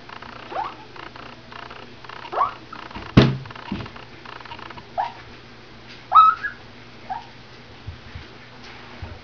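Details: AKC standard poodle puppies, 22 days old, stirring as they wake: short, thin rising squeaks and whimpers come singly every second or two, soft and scattered, with a brief thump and low room hum.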